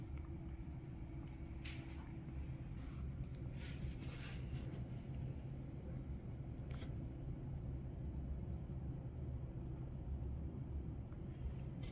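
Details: A low, steady rumble like a passing vehicle or engine hum continues throughout, with a few faint clicks and no animal voice.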